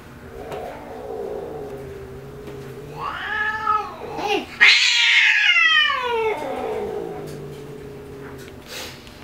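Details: Spayed female tabby cat, aggressive since being fixed, throwing a fit indoors: a low drawn-out growl rising into a loud wavering yowl that climbs in pitch, then slides back down into a falling moan.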